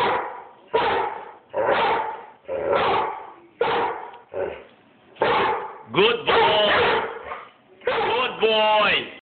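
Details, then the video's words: Bruno, an Airedale Terrier, barking at the person filming, recorded on an Android phone: about ten loud, rough barks in quick succession, roughly one per second, the later ones turning more tonal and yelping, with a whine-like pitch bend. "BRUNO, THE AIRDALE BARKING AT MOI"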